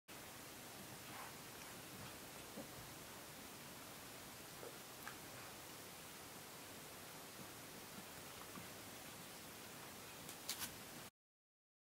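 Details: Near-silent indoor hiss with a few faint clicks and rustles, ending in complete silence.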